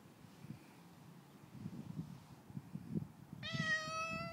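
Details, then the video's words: Male cat belonging to a neighbour, fed while its owners were away; after a few seconds of rustling and low background noise, one clear, rich meow rings out near the end. "Feeding Cat"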